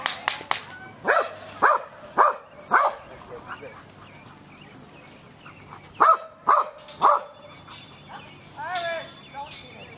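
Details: Samoyed named Irish (GCh. Vanderbilt's Stroke of Luck), untrained, herding sheep at an AKC instinct test, Keepstone Farm near Berryville, Virginia, June 15, 2013; sharp barks in two bursts of three or four, with people talking outdoors.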